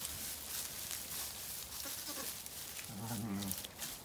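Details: Lambs playing outside on a sunny day at a farm in County Kilkenny, Ireland; after steady hissing background, a deep, short, vibrating bleat sounds near the end.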